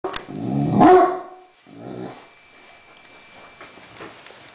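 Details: Great Dane barking at a remote control helicopter indoors; one loud harmonic bark-growl near the start, a softer second bark about a second later, then quiet room noise.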